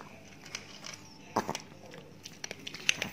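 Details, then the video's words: Ted, a big Chihuahua living in Indonesia, eats new dog food indoors: sharp crunches and crinkly crackles in irregular bursts, with louder bites near the middle and end. "ASMR DOG EATING DOG FOOD"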